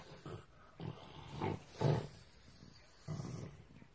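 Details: Pug growling angrily after another dog took its snack, indoors: four short, low, rough grumbles of about half a second each, spaced irregularly over four seconds, with quiet room noise between.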